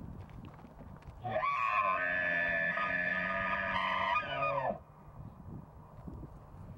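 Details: Bull elk bugling during the mating season, a loud, rich, sustained screaming whistle held steady for about three seconds before dropping away abruptly, over soft wind and rustling.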